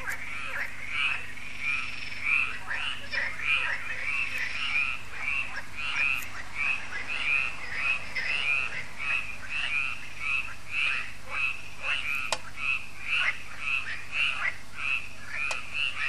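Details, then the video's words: Evening frog concert at Lac de Sabatte in France, a yearly event at the lake; many frogs croak continuously in rapid, overlapping pulses, with a few sharp clicks and a low background hum. "Froschkonzert an Crystals Lake"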